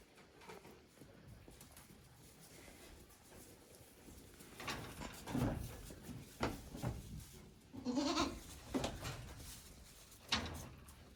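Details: Day-old goat kids on a goat farm, recorded 17 April 2024; a few short, nasal bleats rise from a noisy room background in the second half, with rustling and thumps between them.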